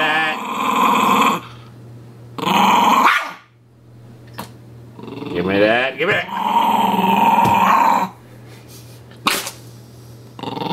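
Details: Puppy named Sonny playing with his dolphin pillow pet, giving long droning growls that rise and fall in pitch, broken by pauses, while a person repeatedly says "give me that" over the dog.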